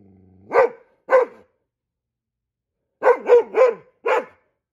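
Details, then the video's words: A Goldendoodle barks like a guard dog at squirrels, giving sharp, mid-pitched barks: first two, then a rapid run of four. "Goldendoodle barking like a guard dog ... when he sees squirrels"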